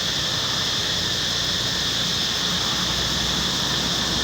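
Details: Cicadas in the forest of Angkor Wat temple, a steady high hissing drone holding even and unbroken, with faint low rumble beneath.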